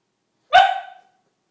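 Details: A single short, sharp dog sneeze, one abrupt explosive burst lasting about half a second with a quick fading tail, in an otherwise quiet room.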